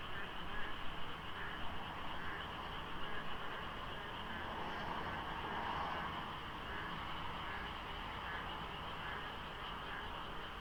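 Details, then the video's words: A thick frog chorus at dawn during the rainy season beside the Deokso IC expressway, in slight fog. Countless overlapping callers make a steady churning trill, over a low road rumble and a brief passing hum. "장마 중인 새벽 고속도로 덕소IC에 어둠을 가득 채운 개구리 소리"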